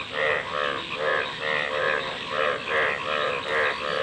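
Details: A frog calling in a slow, regular series of nasal, buzzy croaks, each about a third of a second long, repeated a little more than once per second over faint hiss.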